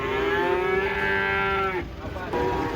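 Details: Giant cattle being unloaded from a truck in Indonesia, the animal jumping down amid a busy crowd: a long, steady, low moo held for almost two seconds, then a second moo begins, with people talking nearby.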